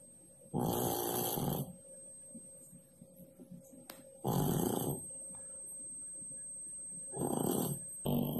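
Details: Pak Pak, a sleeping cat, one of twelve cared-for cats, who likes to nap under the kitchen stove, snores in rough, breathy bursts of about a second, three of them roughly three seconds apart, with quiet pauses between.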